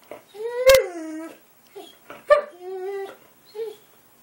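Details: Boxer dog vocalizing in a 'talking' manner: wavering, moaning whines that slide downward, three main phrases with short grunts between, in a small room with a person speaking nearby.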